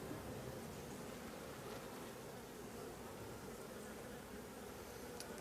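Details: Honey bees of a drone-laying hive at an apiary, a steady, dense low hum of many bees droning continuously and evenly for the whole stretch, without pauses or rises.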